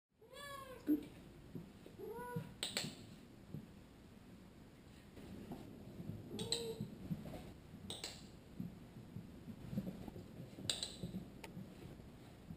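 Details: Domestic cat learning to skateboard and pushing the board himself gives several short rising-falling meows in the first second and a half, followed by sharp clattering knocks and rolling noise through the rest.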